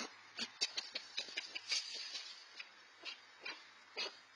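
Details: Young red fox siblings around 4-5 months old squabble over food after leaving the den; rapid run of raspy, hissing chatters early, then slower scattered yelps, thin and breathy with much high-pitched grit.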